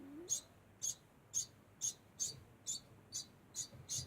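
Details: Degu giving its constant call, a series of nine sharp, high-pitched chirps spaced roughly half a second apart, each a brief bright squeak, with little else audible.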